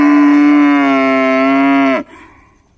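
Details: A village cow gives a long, steady, loud moo that drops and breaks off abruptly at the end.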